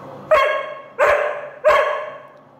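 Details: Young Doberman demanding snacks with three loud, ringing barks spaced roughly two-thirds of a second apart, each with a quick decaying tail.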